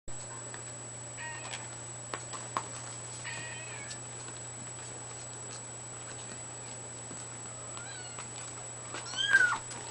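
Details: Seven-week-old Exotic kitten indoors with a few thin, high, bent meows, mostly near the end, over a steady low electrical hum and a faint high whine.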